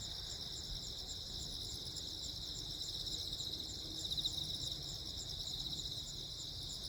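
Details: Several crickets chirp in continuous, rapid high pulses on Jeju Island, 15 August 2024, amid a lightning storm. A short louder flurry comes near the middle, over a low, even background rumble.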